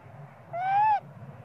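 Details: Young monkey, small and spoiled, cries for mother Popeye to give him milk: a single drawn-out tonal wail lasting half a second, gently rising then dipping at the end, strongly harmonic, over a low background hum.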